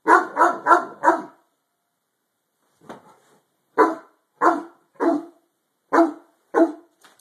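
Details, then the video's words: Great Dane of harlequin coat, inside and barking at something hidden under the bed: an opening burst of four rapid loud barks, a faint sound, then six strong, rough barks spaced about every half second to second. "Harlequin great dane barking at ghost."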